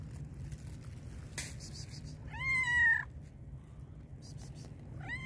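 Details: Hungry black and white cat giving one loud, long, arched meow, followed by the start of another, after a brief clatter; low background hum throughout.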